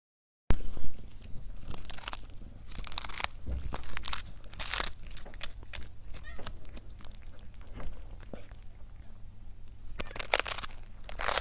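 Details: Cat eating indoors, mukbang-style: loud crunchy bursts of chewing in clusters, strongest near the start and again near the end, with quieter bites between over a steady low room hum.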